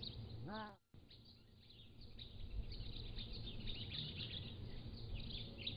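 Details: Young captive Pallas's cat kittens aged three to seven weeks, recorded on a motion-triggered trail camera: one short, rich harmonic mew at the outset, then steady chatter of background birds, with peacocks nearby.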